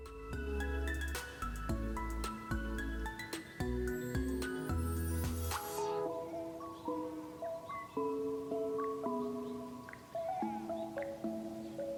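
Gentle melodic instrumental music with plucked and sustained tones, no animal voices.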